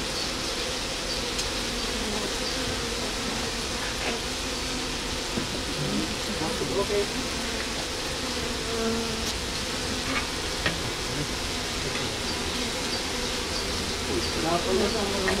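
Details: Hive entrance where honey bees fan their wings on the landing board to disperse Nasanov gland scent; continuous low buzzing drone with faint fluctuations and scattered soft clicks, a hint of distant voices in the background.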